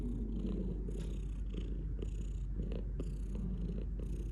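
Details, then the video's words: Domestic cat purring steadily, a low continuous rumble with a gentle pulsing rhythm of inhales and exhales, faint soft rustles above. "Cat purring"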